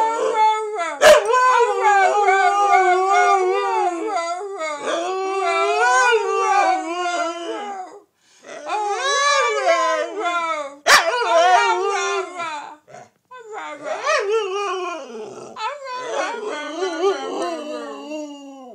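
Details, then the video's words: A family howling session led by Gracie, a wolf-dog hybrid, reaffirming her place in the household: several voices in wavering, overlapping howls that rise and fall, with short breaks around eight and thirteen seconds and a sharp knock. "Hybrid howl"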